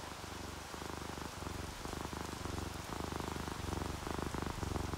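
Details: Purring of a contented, sleeping house cat, ginger tabby or calico, heard as low throbbing pulses in a steady in-out rhythm. Continuous rain hiss and dripping fill the background.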